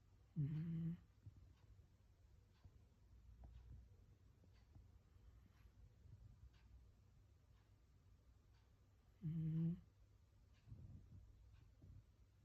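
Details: Gin, a black Shiba Inu napping at midday, snores like an old man: two short, loud, throaty snores about nine seconds apart, with soft breathing in the quiet room between them.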